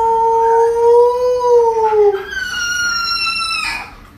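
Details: Alaskan Malamute, a pet dog, howling indoors: a long, loud, smooth tone that rises slightly then falls, followed by a second higher drawn-out howl sliding downward, with a person's voice nearby.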